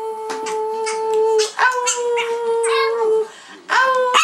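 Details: Prada, a seven-year-old Chihuahua famed for singing, performs indoors alongside her sisters Tinkerbell and Dasha: long, steady, tonal howled notes held about a second and a half each, broken by short pauses and a few rising onsets.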